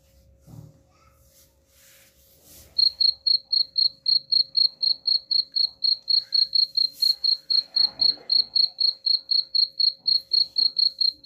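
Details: Cricket chirping, offered as a sound to drive rats away: after about three seconds of faint rustling, a steady high, pure chirp pulses roughly four times a second, with a faint constant hum beneath.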